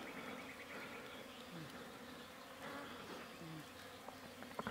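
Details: Honey bees from a wild hive being removed on an Iranian mountainside produce a steady, unbroken humming drone, overlaid with rustling of branches and faint handling noise.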